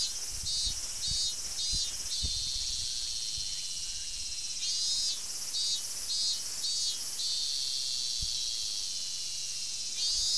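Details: A robust cicada (Hyalessa maculaticollis) sings in a forest in summer, recorded 19 August 2012: a loud, shrill, pulsing buzz that throbs in repeated surges.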